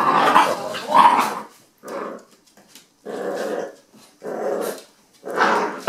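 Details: Two eight-week-old puppy brothers, fostered at an animal rescue, growl during a tug-of-war game with a stuffed toy; harsh rasping growls in separate bursts roughly every second, broken by short pauses.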